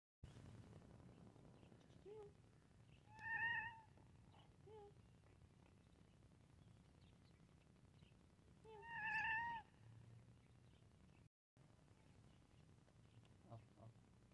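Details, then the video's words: A cute domestic cat meowing while playing: two clear, drawn-out, harmonically rich meows roughly six seconds apart, with a few soft short mews in between over a low steady background hum. "Cat Meowing Sound 🤣 Cute Cat While Playing"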